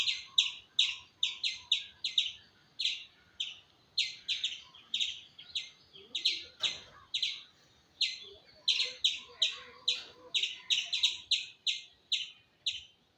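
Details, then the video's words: A squirrel gives a long run of quick, clipped chirps, roughly three a second, each bright and slightly falling, with a brief break midway and faint low sounds in the background. "Squirrel Making Sound"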